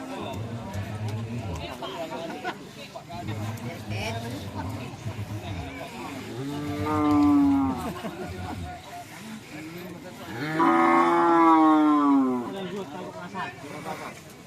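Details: Madura cattle, a race bull (sapi kerap) kept by a village head in Langsar, Saronggi, Sumenep, lowing: two long, deep, drawn-out moos several seconds apart, the second louder and falling at the end, over steady background music.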